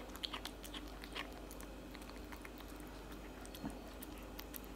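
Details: A tabby cat eating cat food: quiet, uneven crunching and biting clicks, several in quick bursts near the start, over a low steady background hum.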